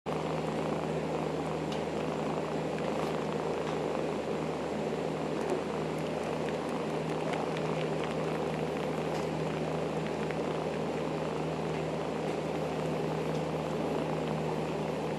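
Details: Dusty, a foster kitten with the Humane Society who still loves nursing, purrs on his bath mat; a steady low rumbling purr runs unbroken throughout, with faint light rustling above it.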